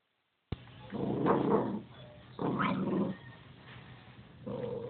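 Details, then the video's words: Pet dog barking at nothing: three rough, harsh bursts, each about half a second to a second long, separated by quieter pauses, with a low background hum throughout. "barking at nothing"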